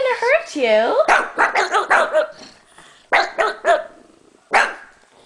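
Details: Two pet Pugs barking at stuffed toy monkeys, described as scared or protecting their owner: bursts of sharp, high barks and a whining yelp, with a person talking over them.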